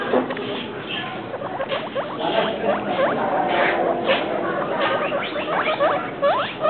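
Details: Travis and Shane, a pair of pet guinea pigs said to be two weeks and three days, squeak in uneven bursts of short swept chirps, a few louder peaks among them, with steady hiss behind.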